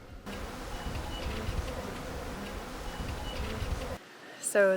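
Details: Honey bees swarming a budding, blossoming tree in Baja California Sur, Mexico, making a steady, dense hum for about four seconds. The sound then cuts out, and a short stacked chirp is heard near the end.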